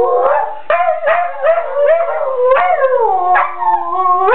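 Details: Dogs howling in a living room as part of a play fight: continuous wavering howls that rise and fall, broken by sudden harsh yelping onsets about every half second, ending in a long steady low tone.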